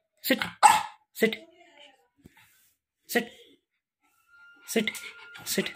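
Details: A female pug gives short, sharp barks in quick bursts on command while a person repeats 'bark' and 'sit'.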